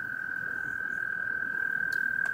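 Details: A male American toad, possibly a Fowler's toad, calls for a mate during spring mating season with a long, steady, musical trill at one even pitch; spring peepers are heard in the distance.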